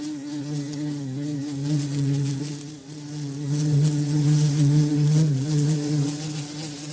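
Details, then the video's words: Deep, droning bumblebee hum, the insect flying from flower to flower in a garden; the steady low buzz rises in loudness partway through and wavers gently in pitch, with no other clear sounds. "BUMBLEBEE SOUND"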